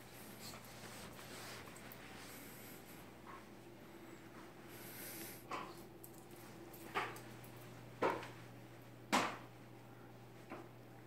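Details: Tomi, a pet dog, barks at a phone camera to ask for treats, having been given snacks the last time it was filmed: after a quiet start, four short sharp barks about a second apart over a low steady indoor hum.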